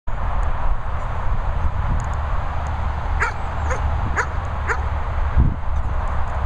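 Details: German Shepherds Sophy and Toby, two dogs at a training and boarding kennel in the Worcestershire countryside, England; a few sharp barks spaced about half a second apart midway through, over a heavy, constant low rumble of background noise.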